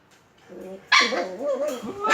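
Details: Shiba Inu and Beagle puppies at play: a soft wavering whine, then a louder drawn-out yowling vocalization that bends up and down in pitch, ending on a sharp burst.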